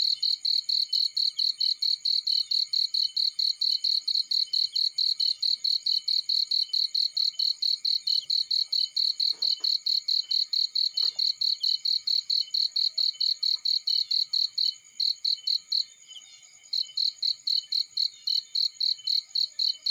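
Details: A cricket calls from a field in a long, unbroken train of shrill, regular chirps, about four each second. The rhythm stumbles briefly near the end, and a couple of faint soft knocks sound underneath.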